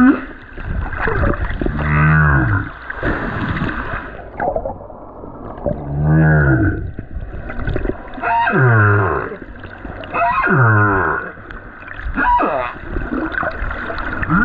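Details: Humpback whale, a lone male, sings at the Silver Bank in February 2023; long groaning calls sweep upward and downward in rich harmonics, five or six units repeated every two to three seconds, with brief gurgling water noise between.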